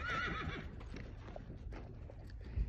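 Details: Young Friesian filly for sale, daughter of imported parents from Holland, her dam being mare number 53: a brief wavering whinny in the first half-second, followed by hoof clopping over a low, steady background rumble.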